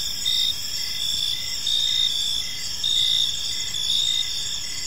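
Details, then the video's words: Evening park chorus of crickets: layered high, continuous trilling with short pulsed chirps recurring roughly once a second, gentle low rumble underneath, no other clear sounds. "Cricket Sounds in a Peaceful Park"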